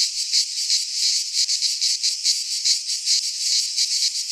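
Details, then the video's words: Short burst of cicada song from a Greek pine forest in midsummer: a bright, rasping buzz swelling and fading in quick throbs, around two to three each second. "Cicadas singing in midsummer - Nature sounds from the Greek fauna - Sounds of cicadas"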